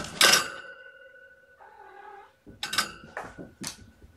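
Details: Mother cat, surrendered to a shelter with her kittens born November 22, playing and chasing with her black male kitten; loud thumping scuffles, a brief wavering harmonic cry in the middle, then more bumps and rustles.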